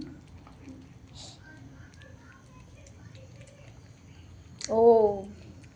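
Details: Domestic cat at feeding time gives a single loud, drawn-out meow that rises and then falls, near the end after a quiet stretch; a woman talks softly in Bengali throughout.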